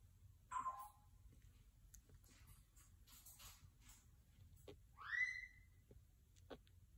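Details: Mother cat moving her kittens, carrying one in her mouth: a short, low meow early on, then a longer, rising meow around five seconds later, set against a steady low background hum.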